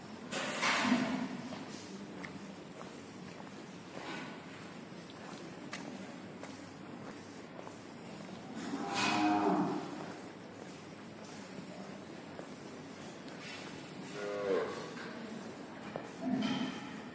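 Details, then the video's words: Sahiwal cattle on a desi cow farm, recorded 13 November 2019; several low moos at about one, nine, fourteen and sixteen seconds over a steady background hum. "Sahiwal cow"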